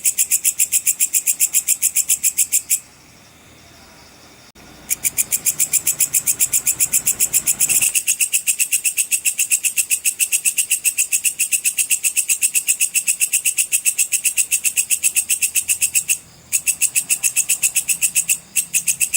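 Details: Sword grasshopper in the full 'cicir' style, used for training competition songbirds: a steady, rapid train of high, dry ticking pulses, about three or four per second, with brief pauses after about three seconds and again near the end.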